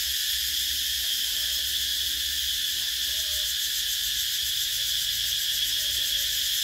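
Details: Cicadas fill the summer air with a steady, shrill, high-pitched buzz that never lets up.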